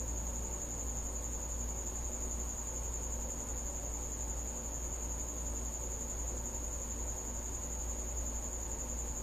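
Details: At night a cricket inside a house keeps up a continuous shrill, even-pitched trill without pauses, with a steady deep hum running underneath.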